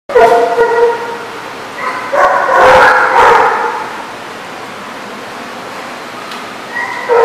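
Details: Dog giving long, drawn-out whining yelps with a steady tone, rising into a louder, rougher howl partway through, then fading to a quieter whine. A fresh yelp starts at the end.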